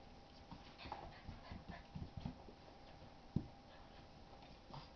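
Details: Two puppies playing indoors: Mitzie, a 3-month-old English x Olde English Bulldog, and Chonny, a 10-month-old Basset Hound x Pug. Mitzie chases Chonny's tail. Short, low grumbling growls and huffs come in a few bursts, with one sharper thump near the end.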